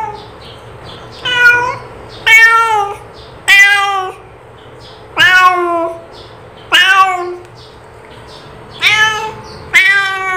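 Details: A calling cat gives seven drawn-out, wailing meows at uneven intervals, some starting high and sliding downward, over a low background hum.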